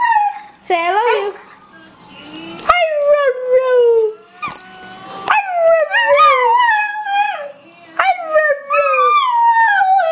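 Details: Honey, a pet dog, prompted to say 'I love you' in a series of wavering, falling howls and yodel-like moans, several tones bending up then sliding down, interrupted by clicks and a brief human voice.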